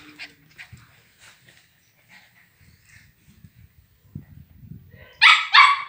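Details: Grey agouti Husky, wolf-grey coloured, squabbling with a female puppy: scattered faint yelps and growly noises, then two loud, harsh, high barks close together at the end.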